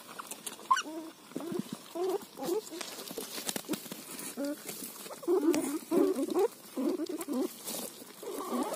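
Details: Pet guinea pig vocalising while eating roti: bursts of short, squeaky, harmonic chirps, grouped in quick clusters with brief pauses between, steady in pitch, over light rustling and chewing clicks.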